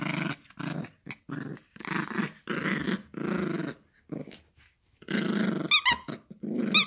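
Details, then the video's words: Gracie, a Yorkshire Terrier puppy, growls in short choppy bursts during toy play indoors, a steady string of gritty half-second growls, then a toy squeaks twice in high chirps near the end. "Funny yorkie growling and barking for toy"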